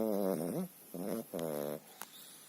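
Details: Sleeping Pekingese dog that snores almost every day, here relatively quietly: three raspy, voiced snorts with rich harmonics, each under half a second, separated by short silent gaps, in a quiet room.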